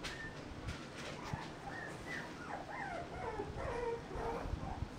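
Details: Whining of a 35-day-old mixed-breed puppy, with short high whistly notes and wavering downward-bending whimpers bunched in the second half, repeated irregularly against low background rumble.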